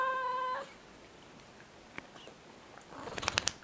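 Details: A female Siamese cat gives a short, steady, tonal meow, talking back to a friend who is chatting with her.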